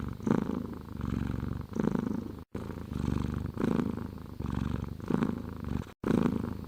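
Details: A domestic cat purrs steadily, a low rumbling vibration in long bursts broken by brief pauses for breath.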